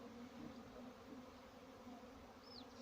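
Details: Steady, even hum of farmed honey bees, a low continuous drone with a fainter overtone above it, and one brief high bird chirp near the end.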